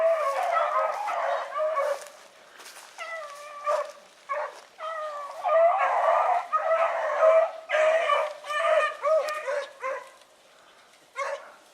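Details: Hunting dogs, including a young pup, running rabbits on Salt Lake WMA on the morning of 2 February 2018, giving a fast, excited chorus of high yelping bays in bursts and overlapping cries, briefly easing before resuming.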